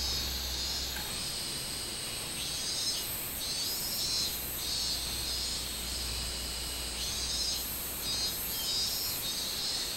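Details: Minmin cicada song recorded 24 July 2016: rhythmic high, buzzy pulses in short bursts over a continuous shrill insect hiss, with a low hum fading after the first second.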